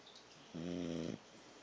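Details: Thor, a pit bull puppy, snores once while asleep: a single steady, low, droning snore of about half a second, set against quiet room hiss.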